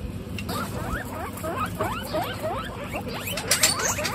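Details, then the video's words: Domestic guinea pigs from a group of 26 females on a hot day, giving rapid rising whistled squeaks, many short upswept notes overlapping in quick succession over a low steady background hum. "Guinea pigs on a hot day"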